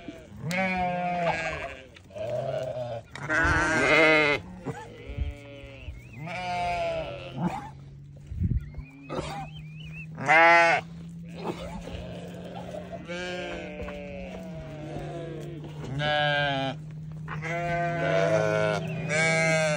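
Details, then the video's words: Newborn baby sheep bleating almost continuously, many short wavering harmonic cries in quick succession over a steady low hum. "Newborn baby sheep so beautiful"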